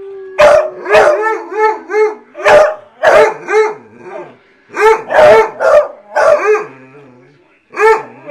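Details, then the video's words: Several hounds riled into a howling chorus, overlapping wavering howls that rise and fall in quick arcs, interleaved with loud clipped barks in irregular bursts, a steady low tone at the start, a final bark after a short pause. "the howling hounds"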